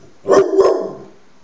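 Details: Two rapid, rough barks from a dog, the second trailing off, in an indoor setting.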